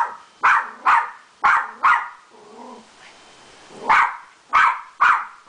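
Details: Beagle named Adi barking at a poodle she has met: rapid sharp barks in pairs, broken by a soft, lower whining moan in the middle before the barking resumes.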